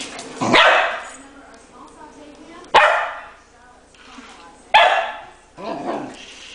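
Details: Puppy barking while playing with a remote-controlled toy spider: a few short, sharp barks spaced one to two seconds apart, with a person talking and laughing nearby.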